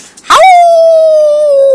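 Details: Pet puppy howling at home while its owner howls along: one long, steady, tonal howl held for over a second, starting with a short breathy burst and sliding slightly lower at the end.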